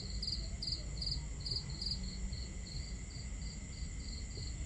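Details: Chirping crickets on a starry night at camp, near a crackling fire and water: quick high chirps about two or three per second, louder at first and then softer, layered over steady low water noise.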